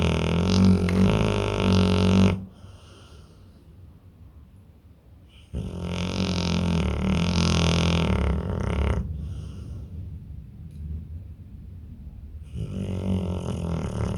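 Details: Deeply sleeping pit bull gives drawn-out, gravelly snores lasting roughly two to three seconds, each followed by a quiet gap of about three seconds, with heavy low rumble and hissing breath on top.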